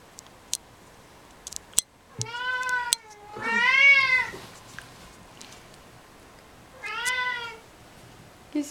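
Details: A cat with suppressed sexuality gives three drawn-out meows, the middle one loudest, each arching up then down in pitch, with a few sharp clicks between them.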